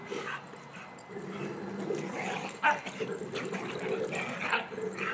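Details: Emma, a five-month-old dog, plays with Bugsy and Kuna near a new fence. Continuous grumbling play growls mix with snuffling and a quick yip partway through.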